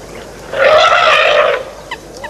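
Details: An African elephant at the Tau Waterhole, Madikwe Game Reserve, South Africa, in August, gives a single loud, brassy trumpet lasting about a second. Two brief, faint chirps follow.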